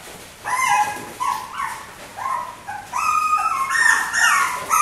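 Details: Four white miniature schnauzer sisters, puppies born 18 August, crying in quick high-pitched whimpers and yips with rising and falling whines, rapidly repeated, overlapping toward the end.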